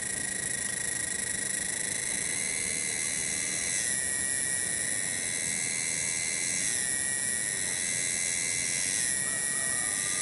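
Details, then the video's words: Cicada (tonggeret) in a garden at Kampung Bunder, Cibening, Bungursari. A continuous high, buzzy, ringing drone with faint wavering swells every few seconds, somewhat quieter than nearby passages. "SORA TONGGERET DI KEBON"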